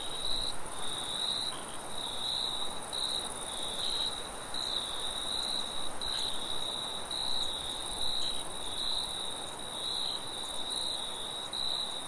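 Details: Crickets trill steadily in a high, pulsing chorus over a soft rush of wind in a forest at night.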